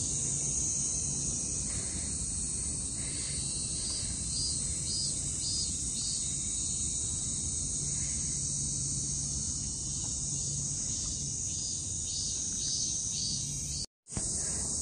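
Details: Cicadas sing in a dense summer chorus on 29 July 2024, a steady, high, hissing buzz with faint pulsing phrases layered over it; a local guide said at least three kinds of cicada occur there.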